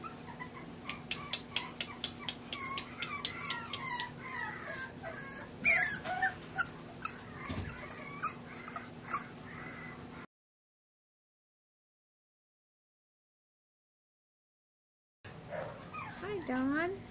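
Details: English bulldog puppies, Scout and Boss, raised at a ranch, filmed 9-3-11: rapid, irregular high yips and squeals about twice a second for ten seconds, then silence, then wavering whines rising and falling.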